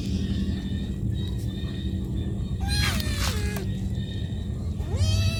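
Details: Hungry cat calling its mother: one long wavering meow that dips and falls, then after a pause a rising meow, heard against a continuous deep rumbling background.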